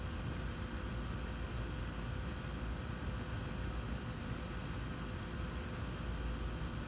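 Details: Crickets calling during a lightning storm: a high, even pulsed chirping repeated about four times a second, with a low background rumble.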